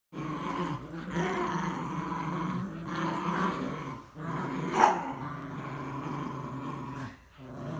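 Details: Morkie and Yorkie dogs facing off, a steady low rumbling growl running almost throughout with brief pauses near one and three seconds, a short sharp sound at about five seconds, then a dip before the growling resumes.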